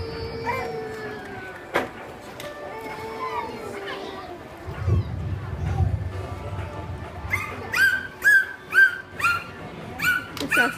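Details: An Atlantic bottlenose dolphin at an aquarium show gives a series of short, squeaky, bark-like bursts, rather like a puppy, over speech and music.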